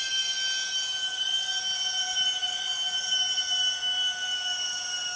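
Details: Loud Empress cicada in Borneo jungle, called the 6 o'clock cicada, holding a continuous whistle-like siren tone with stacked overtones and a slight downward drift, steady high insect buzzing behind it.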